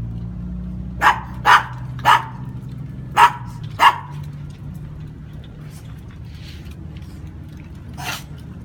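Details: Brussels Griffon in Veracruz letting out five quick sharp barks in the first four seconds, then a pause and one more bark near the end, over low background noise.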